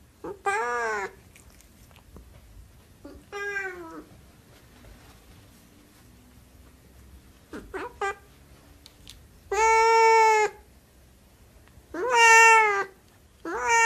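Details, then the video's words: Siamese cat meowing indoors in four separate bouts spread across the recording, each a drawn-out harmonic meow, the later two longer and louder, with quiet gaps and faint background rustle between them. "Siamese Cat Meowing"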